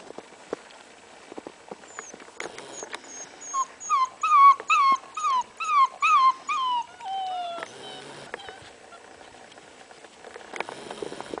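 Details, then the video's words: Six-week-old Leonberger puppies playing with adult dogs in their first big snowfall; a quick run of about nine high, arched whining yelps with rich harmonics, then a longer falling whine, before quiet rustling resumes. "6 week old Leonberger puppies playing in the snow"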